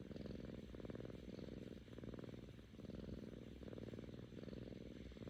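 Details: Kkami, a seven-month-old female Korean shorthair cat, purring because she is happy with her owner: a steady low rumble rising and falling with each breath, about seven in-out cycles, indoors and quiet.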